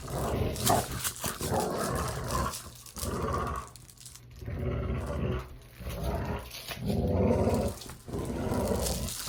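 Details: Dogs play-growling, a run of gravelly rumbling growls in bursts of one to two seconds with short breaths and scuffles between them, loudest toward the end.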